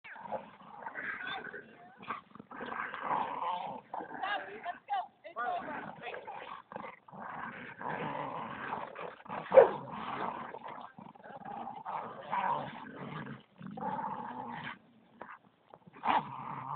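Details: A Bull Terrier gives rough, rumbling play growls in uneven bursts while playing tug of war with a Staffordshire terrier, with a person talking in the background.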